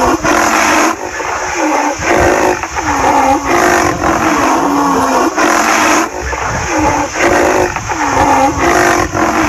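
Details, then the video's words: A rhinoceros gives short, squeaky, bending mews in pairs every few seconds over a steady engine-like rumble nearby. "rhinoceros sounds"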